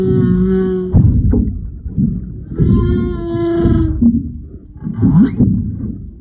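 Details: A mother and baby humpback whale passing close by in February 2022 give long tonal moans with rich overtones, broken by low rumbles and a short upswept cry.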